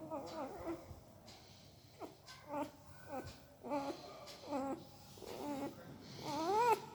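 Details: Sleeping puppy making strange mouth sounds: soft clipped squeaks and sliding whimpers spaced about every half second, ending in a louder rising-and-falling whine, in a quiet indoor room.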